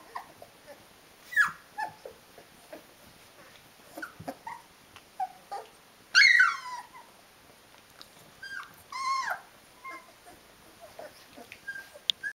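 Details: D-litter Rhodesian Ridgeback puppies at 19 days old: sparse quiet whimpers and clicks, broken by two louder wavering squeals in the middle.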